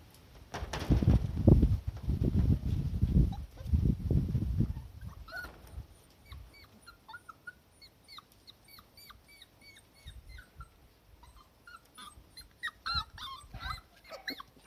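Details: Cardigan Welsh Corgi puppies on a garden lawn sprouting new grass, settling into the yard, recorded March 23, 2020; deep rumbling handling noise for the first five seconds, then scattered short, high squeaky whimpers and yips.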